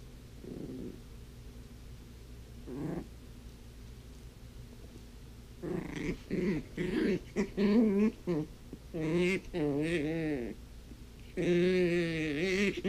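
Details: Toph, a blind puppy, playing with her toys indoors: after quiet scattered thumps, a run of short, wavering, whiny growls in bursts, rising and falling in pitch, the last a longer drawn-out moan.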